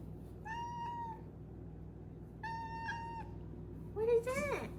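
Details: Four-month-old female Maine Coon kitten indoors, giving three trilled chirps: two level, slightly buzzy trills about a second long with a short pause between, then a quicker rising-and-falling chirp at the end; low room hum underneath.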